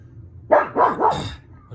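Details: Pug dog giving three quick raspy barks in a rapid run, over a low background hum.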